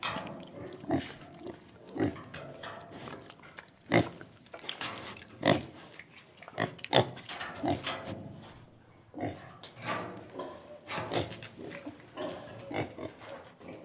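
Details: Farm pigs grunting and snuffling in a steady, irregular stream of short, noisy bursts, several animals overlapping.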